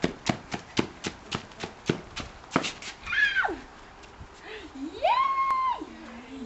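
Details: Puppies aged six and a half weeks: a run of sharp clicking taps, then a drawn-out whine that climbs, holds steady, and drops away, preceded by a shorter falling whimper.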